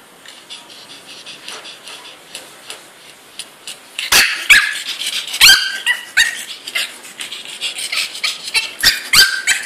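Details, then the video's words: A three-month-old female pug named DouDou, shut in a cage indoors after eating a raw fish ball off the floor, protests with quiet whimpers that build into sharp high yips and barks, several per second in the second half. "Pug Wants To Get Out"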